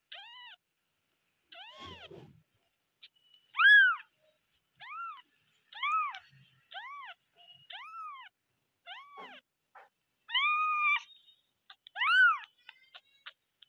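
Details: Cute kittens meowing loudly, a steady series of short high arched mews repeated roughly every second, some louder and longer than others, in a quiet indoor setting.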